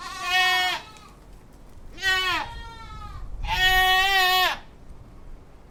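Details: Goat giving three loud, wavering bleats, the last one longer and drawn out, with quiet gaps between the cries.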